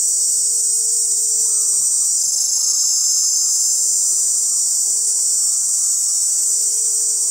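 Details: Male cicadas massed in chorus, calling with the tymbal to attract females; an intense, even, high electric-sounding whine runs throughout, swelling slightly after two seconds, over a faint steady low tone.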